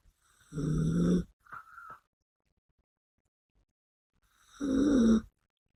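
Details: Biske, a female Yorkshire Terrier pet, snoring in her sleep: two low, rasping snore breaths roughly four seconds apart with a brief softer snort between them, otherwise quiet.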